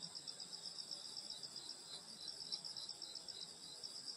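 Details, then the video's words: Grass insects on a rural summer night at a grandmother's home fill the air with constant, bright, rapidly pulsing trills high in pitch, steady throughout. "여름소리 풀벌레소리 시골밤소리"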